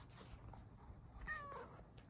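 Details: Bengal cat, a female sitting on a lap and asking to cuddle, utters one brief harmonic meow that dips and falls; indoor room with a faint low hum.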